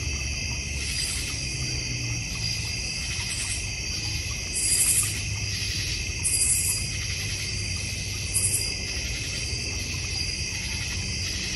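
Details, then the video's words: A North Georgia Mountains backyard with a goldfish and koi pond: crickets keep up a steady high trilling chorus, broken by three short louder buzzy chirp bursts, over a continuous low rumble. "North Georgia Mountain Cricket Sounds"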